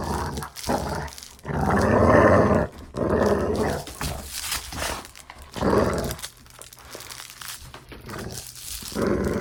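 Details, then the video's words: Growling dog during play: several harsh, rasping growl bursts of about one second, the loudest early on, then a quieter stretch with faint rustling before a final growl. "Dog Play Growling"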